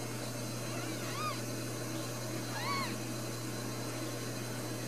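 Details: Two clear arched mews, about a second and a half apart, come from newborn Ragdoll kittens, one of four brand new babies born at a central Kansas home cattery. A low steady hum sits beneath.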